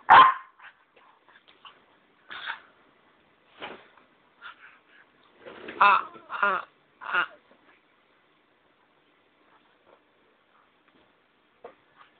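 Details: Puppy on a bed indoors, barking in short uneven bursts, a sharp opening bark followed by several softer yips and a louder cluster of barks midway, then quiet with faint sounds.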